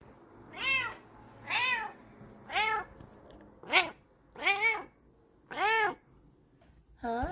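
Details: Kokoa, a female Bengal cat, sniffing and rubbing against the camera, gives a series of seven clear meows, each arching up then down, about one per second. A short rising chirp closes the sequence.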